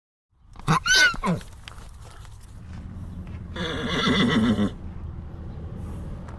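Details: Horse calling with a short wavering high whinny that drops at the end, followed by a broad rushing burst of noise and low background rumble.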